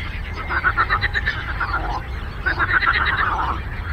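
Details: Lake frogs calling in two bursts of quick pulsed croaks, about four pulses per second, separated by a short lull, with a low constant rumble behind.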